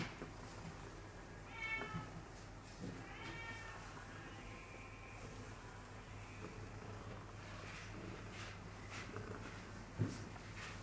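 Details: Tortoiseshell tabby female cat, curious and cuddly, in a cat shelter seeking a home: two short harmonic meows near the start, then faint soft vocal sounds over steady low hum and background noise.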